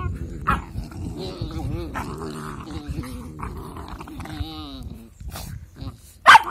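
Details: Two puppies playing together and acting angry, with low rumbling growls and whiny yelps running through the clip, a sharp bark near the end, and a person's voice faintly underneath.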